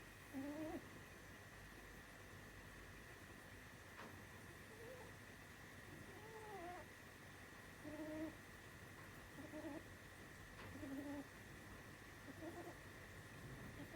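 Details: Sumi, a pet female rabbit, snoring while asleep as she has since she was small: soft, squeaky wavering tones in short breaths roughly every one and a half seconds, some louder than others, over a steady high electrical hum.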